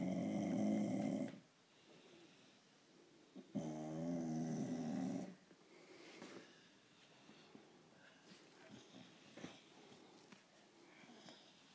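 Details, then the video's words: A female blue Staffordshire bull terrier gives two long, low, rumbling grunting or snoring noises, as she does when she wants petting or attention. "Blue Irish Staffordshire bull terrier grunting noise when s"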